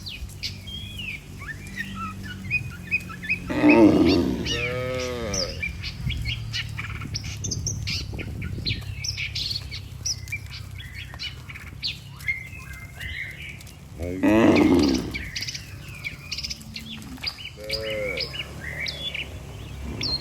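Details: Cattle walking as a herd back to the barn under a herdsman's care. Two long, loud, deep moos about ten seconds apart, each with a short follow-up, against steady bird twittering and a low background hum.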